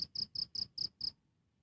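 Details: Six rapid, shrill cricket chirps in quick succession, each a brief high pulse, ending abruptly in silence; recorded directly from the insect.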